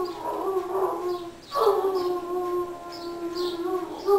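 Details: Irish Wolfhounds howling together in their 'song', long steady tones overlapping, one voice rising sharply mid-clip and others holding level, a new howl starting near the end.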